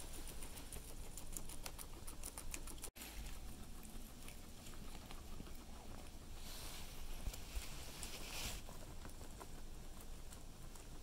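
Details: A guinea pig munches cilantro, giving crisp, rapid clicking crunches that come in fast trains, over a constant low background hum, with one sharp knock early on.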